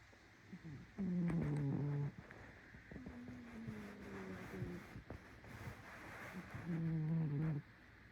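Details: Cat snoring, with a loud nasal, tonal drone lasting about a second near the start and another near the end, and softer whistling snores with faint clicks between them.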